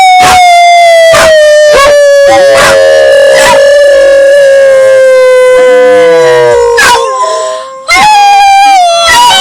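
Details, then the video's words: Owner and two pet puppies howl together: a long, slowly falling howl overlaps a second, lower gliding voice, punctuated by repeated sharp yips, then a fresh rising howl. "Howling with my dogs"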